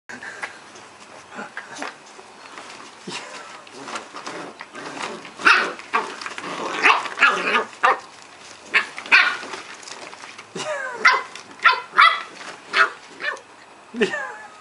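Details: Two nine-week-old Cardigan Welsh Corgi puppies, brother and sister named Fos and Ebo, play fighting at home in Adelaide, South Australia; yappy barks and growly squeals come in quick bursts, growing louder and more frequent partway through, with a person's voice at times.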